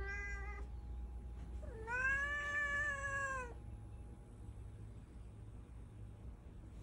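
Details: Domestic cat, a cream-coloured calico mix, indoors in a room being made comfortable for cats: a short harmonic cry at the start, then a longer level meow of about one and a half seconds, steady in pitch with rich overtones, over low room hum.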